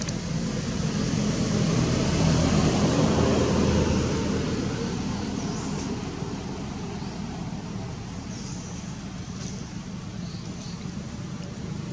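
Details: Steady roar of road traffic and vehicle engines outdoors, with faint distant voices.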